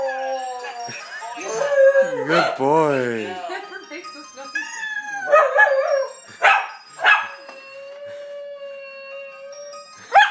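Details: Male Welsh Terrier kept as a pet, singing along with his owner: quavering howls with fast wobbling pitch, then a long steady held note, mixed with human singing and brief speech.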